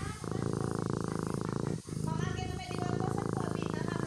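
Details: Sleeping kitten purring: a steady, low, rumbling drone that runs continuously with brief breaks near the two-second mark, like the shift between breathing in and out, with no other clear sounds.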